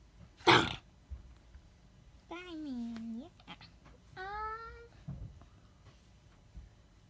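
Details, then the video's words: Pet cat in a small room: a sharp sneeze-like burst, then a drawn-out meow that dips and climbs again, followed by a shorter rising meow, with quiet room noise and occasional faint thumps. "Cat says:"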